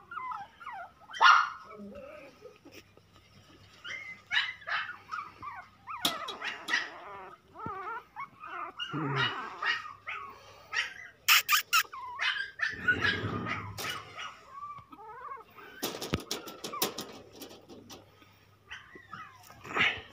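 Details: Toy Pomeranian puppies giving scattered short yips and small barks, with bursts of clattering, rustling and human voices in between.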